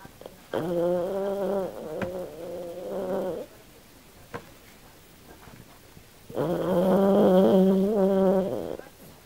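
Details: Australian Silky Terrier bitch named Kym snoring while asleep and dreaming: two long, buzzy, tonal snores about three seconds each, separated by a quiet gap with a couple of faint clicks.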